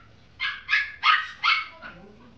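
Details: Brown female Chipoo, a Chihuahua and poodle cross: four sharp, high-pitched yappy barks in quick succession, roughly a third of a second apart, then a softer fifth bark trailing off, with a quiet background.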